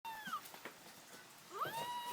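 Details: A one-month-old Shih Tzu puppy "sings," giving high, thin, tuneful whining howls that bend downward and then rise.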